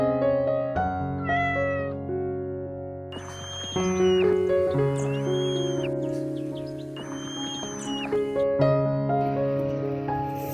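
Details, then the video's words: A kitten gives two thin, high mews a few seconds apart, each rising then falling, partly masked by steady background music. "Cutest Baby Animal Sounds: cat"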